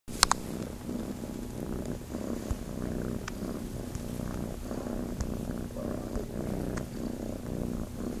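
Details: Kitten on a farm purring while looking to nurse, a steady low rumbling purr throughout with faint clicks and rustles.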